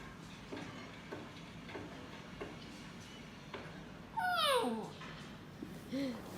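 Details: Border collie puppy yawning: after soft scattered clicks, a thin, squeaky whine sweeps steeply downward, followed by a short low squeak; brief speech follows.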